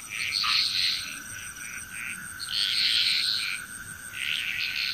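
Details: In Bali, Indonesia, a frog chorus gives rattling, high-pitched croaks in surging bursts over a steady insect drone.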